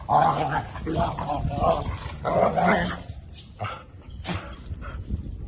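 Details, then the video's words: Female dog with a red collar making noises while playing with another dog: throaty growling and grumbling vocalisations in bursts of about half a second to a second, with a woman speaking Thai in the background. "makes noises when she play with other fur friend"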